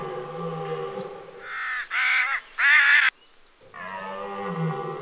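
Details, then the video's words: Red deer bellowing during the October rut: a drawn-out, low harmonic groan, broken by two loud, harsh, strained bursts in the middle, then another sustained low moaning bellow. "CERF Brâme en Octobre"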